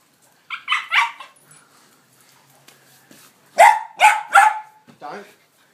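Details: Pet dog excited by a ball set on a small hill of sand, barking: a quick burst of three sharp barks, a pause, then three louder harmonic barks and a softer yelp, with people talking nearby.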